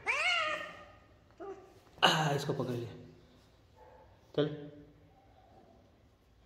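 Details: Kitten, afraid of the height, coaxed to jump down: a rising-then-falling meow opens, a louder harsh cry follows near two seconds, then a brief call near four and a half seconds, with Hindi speech from a person encouraging it.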